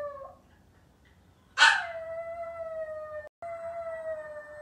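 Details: Maltese puppy left home alone, waiting for its family to come back. The tail of one howl, then a quiet pause, then a sharp yelping onset that stretches into a long, steady, slightly falling howl lasting over two seconds.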